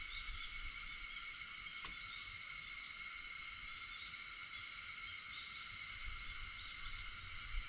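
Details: Shrill, unbroken cicada drone on an August morning before five o'clock, steady throughout, with a single brief sharp click just before the two-second mark.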